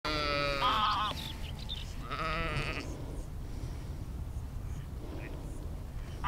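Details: Sheep outdoors in nature, captured as an immersive spatial field recording with an Insta360 X3 and Zoom H2n: two wavering, nasal bleats in the first three seconds over steady low rumble of wind or background noise.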